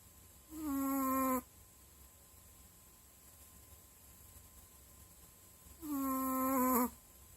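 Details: Dog snoring in its sleep, two drawn-out nasal whistling snores roughly five seconds apart, each holding a steady tone that dips slightly at the end, quiet room in between.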